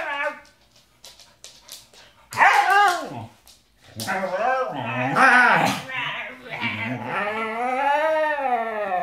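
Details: Pet Siberian Husky singing, giving drawn-out whining howls that arch up and fall in pitch, some short and wavering, then one long sustained wavering note, with a person's voice mixed in at times.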